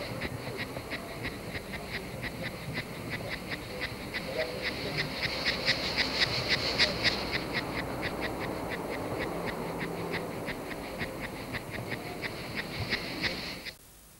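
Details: Cicada chorus from France, 1995, a shrill pulsing buzz repeated rapidly and evenly, swelling in the middle, with faint low background noise, then cutting off abruptly near the end.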